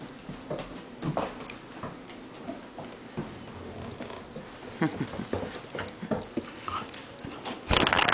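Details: Rottweiler. A young Rottweiler makes brief, high-pitched whimpers and small yelps in uneven bursts. Rustling, bumps and handling noises from a small room run underneath, with a louder scuffle at the end.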